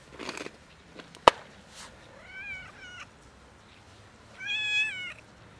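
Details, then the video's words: A cat that came asking for a favour, likely hungry, gives two meows: a short rising-falling harmonic call near the middle, then a louder, longer wavering meow toward the end, after a sharp click and some rustling. "Warm beautiful cat came to me for a favor"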